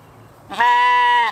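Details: Katahdin sheep on a Michigan homestead, playing in the evening: one loud, steady, nasal bleat lasting under a second, rising in sharply after a quiet start and holding an even pitch until it cuts off.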